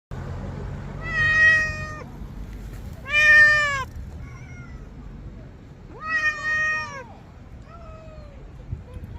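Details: Cats seen on a trip; three loud, drawn-out meows roughly two seconds apart, each full-toned and slightly falling at the end, then fainter, softer meows over a low background hum.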